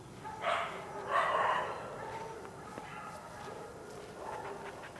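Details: Karelo-Finnish Laikas Rus-Fin, two years old, and Kaya, eight months, working a penned wild boar while preparing for trials: two sharp, broad barks close together near the start, then fainter yips over a low rustling background.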